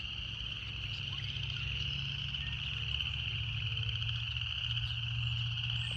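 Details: Cicadas singing in nature: a steady, unbroken buzzing drone held at one high pitch throughout, over a low rapid pulsing hum.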